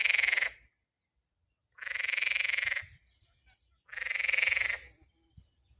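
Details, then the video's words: Spring frog giving rasping, rapidly pulsed croaks about a second long, three in a row at steady intervals, with faint low rumble in the background. "Так кричит лягушка!"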